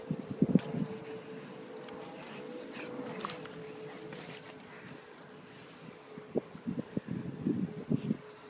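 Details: A Boston Terrier playing ball gives short, gruff barks and huffs in scattered bursts over a steady background hum.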